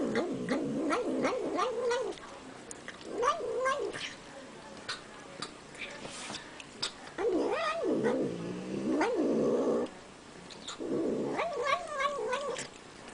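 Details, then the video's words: Cat vocalizing as it eats, giving wobbling, moaning mews that rise and fall in several separate bursts, mixed with frequent crisp clicks and smacks of chewing. "Cat Making Funny Noises While Eating"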